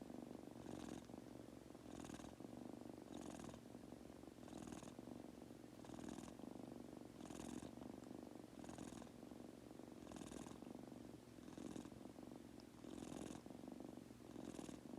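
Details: Goku, a pet Munchkin kitten, purring while falling asleep indoors: a steady low rumbling purr with soft breathy hisses about every 1.4 seconds as he inhales and exhales.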